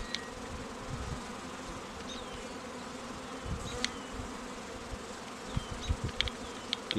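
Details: Honey bee colony humming during queen rearing at an apiary, with queen cells on day 11: a continuous low buzzing drone, and brief high bird chirps and clicks breaking through now and then.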